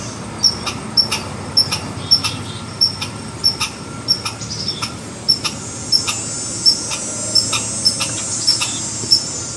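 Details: Red squirrel giving alarm calls: rapid, irregular run of short hard chuck notes topped by a faint high tick, nearly two a second, against a steady hissing background.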